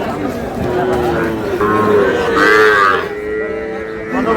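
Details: Sahiwal bull calf bought by a farmer at a cattle market in Brahmanbaria, Bangladesh, on 20 May: drawn-out harmonic lowing that swells and bends in pitch midway, over steady market background noise.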